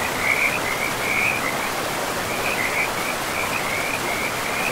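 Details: Trilling frog chorus beside a river deep in a pristine forest, broken into short rippling bursts every second or so, with steady flowing water underneath.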